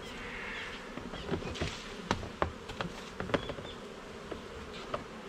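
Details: Honey bees in a garden hive being inspected frame by frame, a dense low steady hum of many bees with sharp clicks and knocks of frames being handled scattered throughout.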